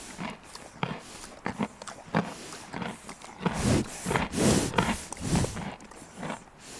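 A horse crunches and chews carrot pieces, with irregular crisp bites and soft breathing between them.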